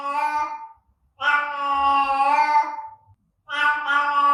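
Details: Cat meowing to attract other cats: three meows, the first short, the middle one long and drawn out, slowly falling at its end, then a third that starts strongly, all clean with no background noise.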